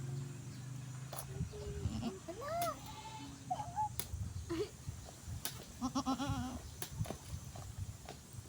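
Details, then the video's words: Goat that has just given birth, bleating on a farm: a few short, wavering nasal bleats, some rising then falling, the last a quavering series near the end, over low rumble, knocks and sharp clicks. "nanganak na Ang kambing"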